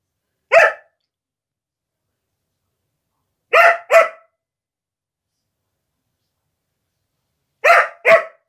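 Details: Female Siberian Husky guarding her new carpet when someone comes close, giving sharp barks: a single bark, then two pairs of quick barks spaced several seconds apart, with silence between.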